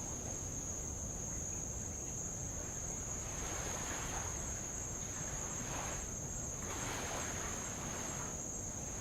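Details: Insects around the island of Avalau in the Kingdom of Tonga, recorded beside light waves on old lava: a steady, unbroken high-pitched whine runs throughout while soft surf washes in swells over the rocks.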